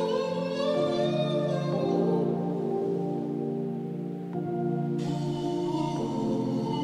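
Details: Sustained tonal music with bell-like and droning instrumental notes; no animal sound is heard.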